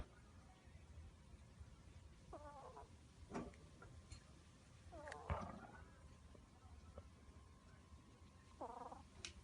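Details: A pet ferret snoring in its sleep indoors while a black ferret, Rin, sleeps on top of it; short squeaky harmonic wheezes recur every few seconds over a steady low hum, with faint soft rustles between breaths.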